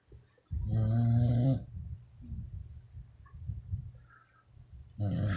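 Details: Pack of twelve Beagles sleeping together and snoring: a loud, low rumbling snore of about one second, a softer rasping breath between, then another deep snore starting at the end.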